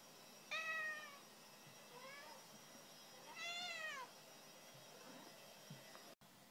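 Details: Cat meowing indoors: a strong falling meow, a fainter short one, then a longer bent meow that rises and drops, followed by quiet shuffling and a brief cut in sound.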